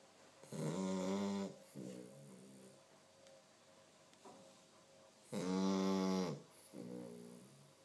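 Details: A two-month-old Chow Chow puppy snores heavily, with long, rattling breaths and softer huffs between them.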